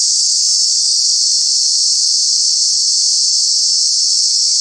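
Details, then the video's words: Summer cicada calling in Kanha National Park, a true bug giving a very loud continuous shrill buzz that never breaks or changes in pitch across the whole stretch. "Cicada, Cicadas are true bug with very loud sounds"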